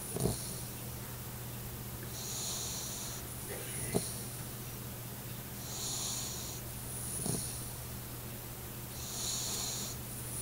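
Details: Sleeping Alaskan Malamute puppy, eight weeks old, lying under a chair. Hissing, whistly snore breaths come in regular waves about every three and a half seconds, with a low steady hum and occasional sharp taps.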